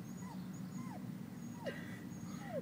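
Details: Puppy whimpering at a culvert it wants to put its head into: four thin, high whines, each sliding downward, spaced about every half second over a steady low outdoor rumble.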